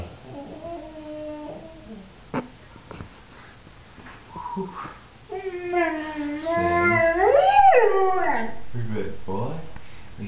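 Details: Leo the pointer sings at home when coaxed with 'sing'. After a few short notes, a long howl swells upward, peaks, then slides down into softer wavering moans. A voice speaks early on.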